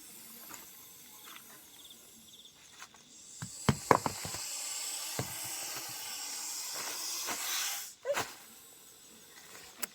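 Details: Russell's viper being handled by a snake rescuer after it came to a house. A drawn-out hiss of about three seconds swells, then cuts off sharply, preceded by clicks and knocks, with faint talk.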